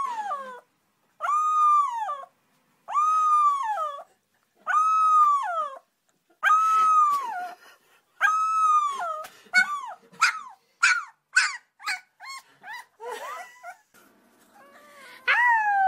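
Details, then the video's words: Puppies howling: a series of short, arched, whining howls repeated about every two seconds, followed by quicker, higher yelps and squeaks near the end. "CUTE PUPPIES HOWLING"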